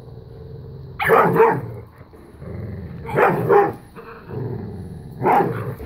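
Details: Bella, a five-year-old black Lab–pit bull, and a new puppy playing keep away and tug of war; three short rough growly bark bursts, each about half a second, arriving roughly every two seconds, with quieter scuffling between.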